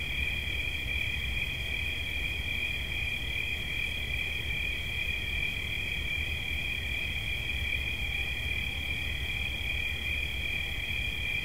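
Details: Steady, unbroken high trilling from a cricket, a bright even drone that holds the same pitch from start to finish, with faint low background rumble.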